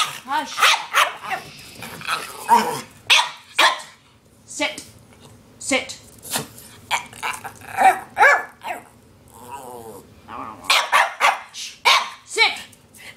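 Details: Two pet Norwich Terriers, Twix (black and tan) and the talkative red Twizzler, indoors asking for lunch: a burst of sharp, repeated barks with some growly vocal sounds, interrupted by a woman telling them to be quiet.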